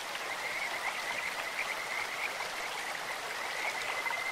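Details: Kajika frog by a clear stream giving broken, high whistled notes in short bursts, with the continuous hiss and splash of flowing water filling the background.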